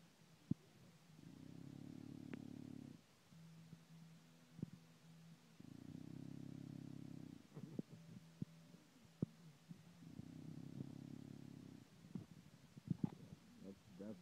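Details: English bulldog Duchess asleep indoors, snoring in three low, rough, rumbling breaths spaced about four to five seconds apart, with a faint steady low hum and scattered small clicks between the snores.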